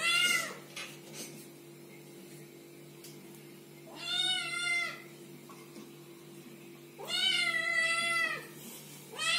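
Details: Kittens calling with drawn-out, bright meows, three spaced cries separated by quiet stretches with a low background hum.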